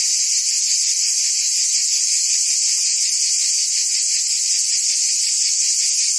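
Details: Provençal summer cicadas in France produce a continuous high-pitched rasping buzz, constant in strength, with a subtle rapid throb and nothing else audible.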